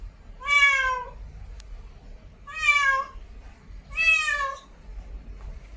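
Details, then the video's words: Mate-calling female cat in heat gives three drawn-out, rich harmonic meows roughly one and a half seconds apart, each slightly falling at the end, with faint low hum between calls. "REAL CAT IN HEAT MEOWING MATE CALLING"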